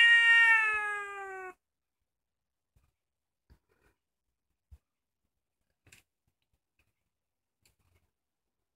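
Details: Kkomaengi, a female cheese-coloured house cat around two years old, recorded indoors at night: one drawn-out, slightly falling meow lasting over a second, then quiet with faint clicks.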